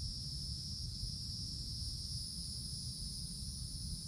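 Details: Woodland cicadas in summer, heard from below the canopy: a level, sustained high buzzing hum with no breaks, layered over a dull low-frequency rumble.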